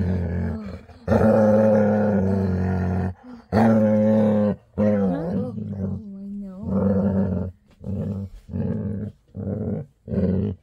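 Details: Happy bedtime growling from a female Labrador retriever indoors, two long loud rumbles followed by a series of shorter grumbling bursts roughly every second, tapering off; a woman murmuring goodnight in the background.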